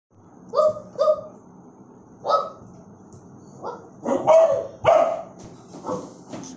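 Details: Bullmastiff barking aggressively: loud, harsh barks in pairs and short bursts, spaced irregularly over several seconds, each bark broad and gruff with a strong mid-range core.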